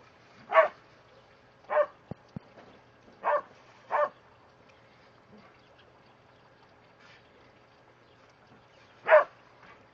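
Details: Border Collies Starbuck and Trixie romp in the sprinklers, giving scattered single barks with long quiet gaps, about five clear barks and a couple of faint ones, plus brief clicks.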